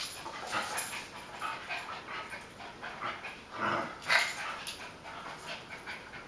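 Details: Two mixed-breed dogs, Buddy (beagle-basset hound) and Sonic (chihuahua-dachshund), playing indoors in a kitchen, July 2013: repeated short, noisy yaps and growly huffs, with two louder yelping bursts close together in the middle.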